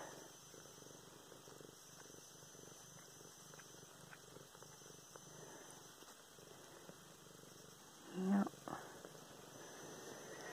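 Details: Pet cat Luna purring during petting and play on November 24, 2016: a quiet, continuous pulsing rumble for about eight seconds, then a short louder voiced sound breaks in before the purr resumes.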